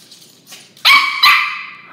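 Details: A dog, scared of a toy dog, gives two sharp, loud barks in quick succession, the second trailing off into a ringing tail, after a couple of soft sniffs.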